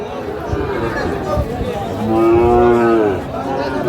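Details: At a busy cattle market in Manikganj, Bangladesh, on 21 November 2024, a Sahiwal bull calf lets out one full, rich moo lasting about a second, slightly falling at the end, over a background of crowd talk.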